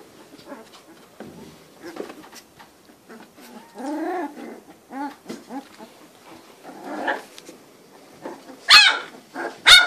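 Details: Cane Corso puppies, three weeks old, from the litter of Faust Di Casa Pretorian and Geisha De Nobil Rose, producing faint grunts and short rising whines, then two sharp high squeals near the end.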